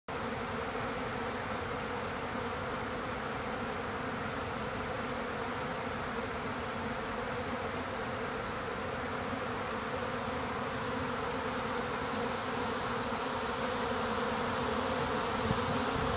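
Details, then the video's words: Swarming honey bees, a break-off group from a successful hive flying in a confusing mass to protect their queen; a dense, continuous low droning buzz fills the air at a steady level, recorded standing in the midst of the swarm. "Bees swarming"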